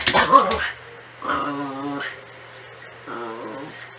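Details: Natsume, a Norfolk Terrier, gives two drawn-out, grumbling growls with a buzzy, harmonic tone, each under a second long and separated by a pause. A brief human voice opens the clip, and a steady low hum runs underneath.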